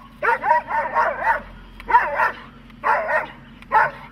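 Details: Dog in protection training, German Shepherd or Malinois among the dogs shown, giving four bursts of rough, harsh barking, each a quick run of three to five barks, separated by short pauses.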